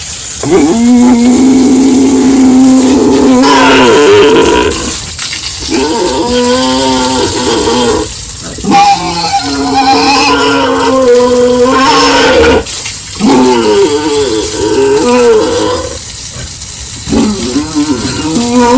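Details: Pigs on a village farm during the morning feeding and pen cleaning. A long, steady, harmonic squeal opens, followed by several loud, wavering squeals in bursts with short gaps. A constant high hiss runs underneath.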